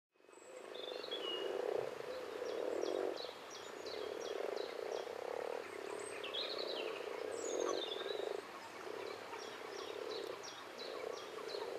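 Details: Common frogs (Rana temporaria) calling together, a steady low purring, grunting chorus that swells in pulses lasting one to two seconds, with birds chirping and whistling high above throughout.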